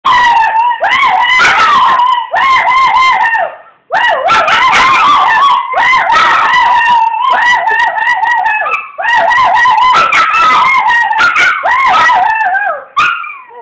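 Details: Female dog crying along with her owner: loud, long wavering howls with a trembling, vibrato quality, sustained for several seconds at a time and broken only by brief pauses.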